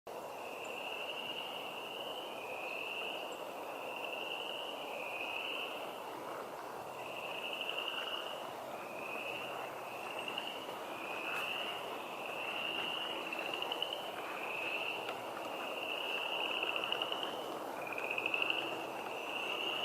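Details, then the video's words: Frogs calling at a wetland beside the Blue Blazes Trail, Moccasin Bend National Archeological District, Chattanooga, Tennessee: a steady series of short, high trills, each under a second, following one another almost without pause over a soft, constant outdoor hiss. "Sounds of Frogs in the Woods and Wetlands"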